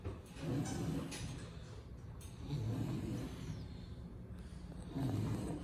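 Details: Indoors, an AKC-registered lilac English Bulldog from Miami gives deep, rasping snore-like breaths, three throaty pulses spaced roughly two seconds apart.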